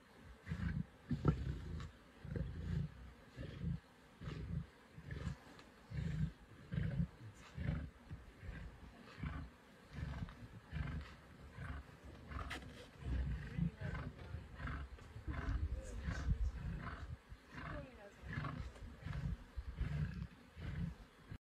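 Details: Feeding lions of the Nkuhuma pride on a buffalo, Sabi Sands, December 2023: a long run of deep, rasping growls and grunts coming in quick irregular bursts, several animals overlapping.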